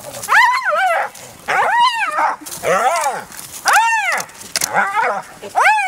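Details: Spotted hyena clan fight, an adult relentlessly attacking a young member: five loud, harmonic, arching wails, each rising and dropping over about half a second, repeated roughly every second with brief gaps.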